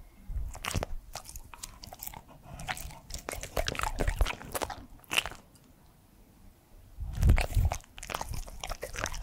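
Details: Edmundo, a 3-year-old male Pembroke Welsh Corgi, eating indoors: bursts of crunchy, irregular bites and chewing, loud in short clusters with quieter pauses between, plus a heavy low thump near the end.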